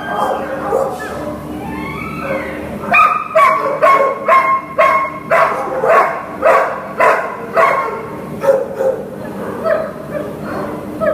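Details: Shelter dog Lily, a Greater Swiss Mountain Dog available for adoption, lets out a steady series of loud tonal barks about twice a second, easing into softer whining yips, with a faint hum underneath.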